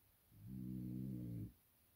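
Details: Blue 15-month-old French Bulldog napping indoors, giving a single low, buzzy snoring breath about one second long in a quiet room.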